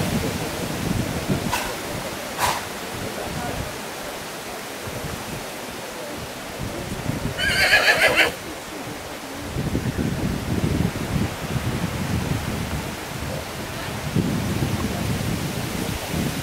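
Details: Colt foal sired by Casall, pedigree line Quite Capitol and Carthago, gives one short harmonic neigh of under a second midway through, over steady strong wind rumble and a few sharp clicks.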